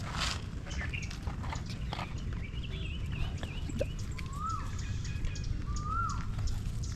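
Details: A stray puppy cradled in someone's arms cries for help, giving two short high whines that climb and fall about a second and a half apart, following faint chirps, over a constant low outdoor rumble.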